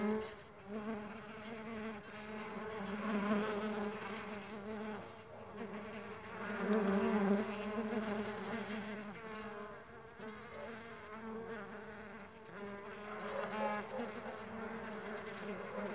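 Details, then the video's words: Mandaçaia stingless bees flying, their wings giving a steady low droning buzz with layered harmonics that swells and fades as the bees move closer and farther away. "STINGLESS BEE SOUNDS"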